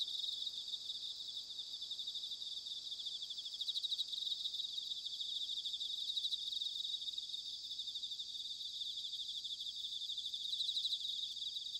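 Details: Autumn bell crickets from Sanuki, Chiba Prefecture, Japan, heard as a softer, continuous high trilling chorus of rapid pulses, fairly even throughout, with a faint low rumble of ambient noise underneath.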